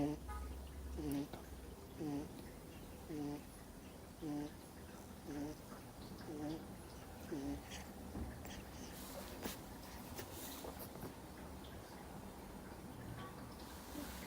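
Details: Two-month-old Miniature Schnauzer puppy fast asleep, snoring indoors: soft squeaky nasal tones repeat roughly once a second for the first half, then fade into faint rustling and a few clicks.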